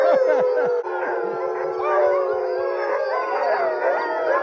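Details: Excited Alaskan Husky sled dogs in Alaska during June summer cart training; many dogs howl together in a dense, wavering chorus of sliding tones with short yips mixed in.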